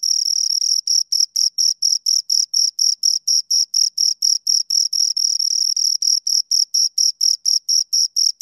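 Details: A pair of crickets stridulating, rapid high trilled chirps running about four per second, the pulses at times overlapping into a continuous buzz before breaking apart again; nothing else audible.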